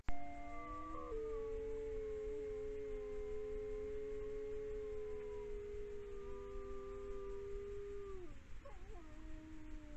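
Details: An Iberian wolf in a sanctuary in Galicia, Spain, gives a long, steady howl that holds one pitch, then slides down and breaks off; howls keep pack members together over long distances.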